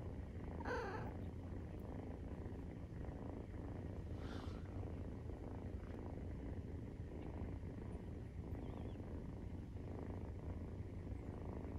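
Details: Nursing-time purr of Maine Coon cats with 43-day-old kittens: an unbroken low vibrating rumble, rapid and even, with a short brighter rustle near the start and another soft one shortly after.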